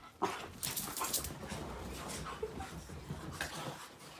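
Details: Two dogs, Arya the Boston Terrier and Eri the French Bulldog, playing together indoors: rough, noisy growling bursts and scuffles, some short and some drawn out, over a steady background hiss.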